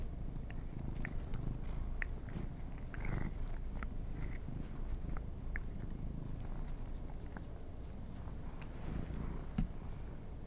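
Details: Cats eating treats inside, purring in a low, even drone while frequent crisp bites and crunchy chewing clicks pop above it.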